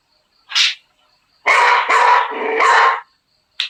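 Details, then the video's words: Beagle puppy giving a short sharp yap, then a longer rough drawn-out bark that wavers in pitch, with another brief yap at the end. "Beagle dog sound effect"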